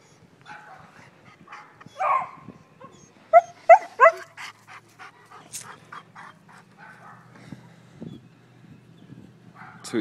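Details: German Shepherd, a seven-month-old male, barks at someone amid a person's encouraging voice; one louder bark near two seconds, then a quick run of three sharp barks, then quieter sounds and a low hum.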